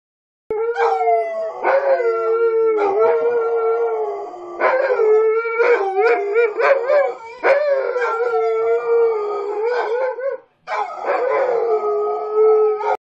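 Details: A Shepsky and a Rottweiler howl together in long, sustained, wavering tones, their voices rising and falling and sometimes overlapping.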